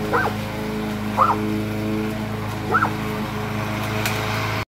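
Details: Cane Corso facing off against a new lawn mower, three separate barks spaced about a second apart, with a constant low mechanical drone underneath.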